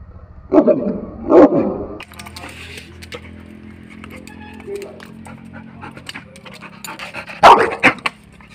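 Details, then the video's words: A dog gives two quick rough barks close together, then a long pause filled with clicks, rustling and faint voices, before another loud burst of barking near the end. "power of dog barking"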